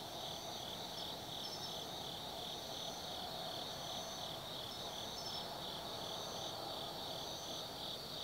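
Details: Autumn insect chorus after dark at Tsukimi no Mori, Gifu Prefecture, Japan, overlooking the lights of the Nobi Plain: high shrill trills pulse in regular waves, roughly every half second to second, over a constant ringing background.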